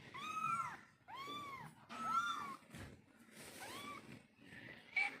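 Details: Mother cat calling to kittens, giving four drawn-out, arched meows about a second apart, each rising then falling, followed by a brief higher squeak at the end.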